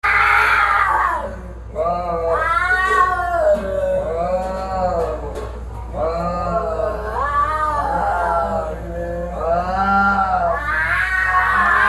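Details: Fighting cats yowling in long wavering, rising and falling wails, several drawn-out howls overlapping with barely a pause, over a steady low hum.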